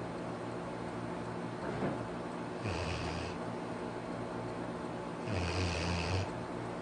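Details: Arfie, a pet Labrador Retriever, snoring: two deep, rumbling snores about two and a half seconds apart, each a low drone with a hissing breathy edge, separated by quiet breathing over a steady low hum.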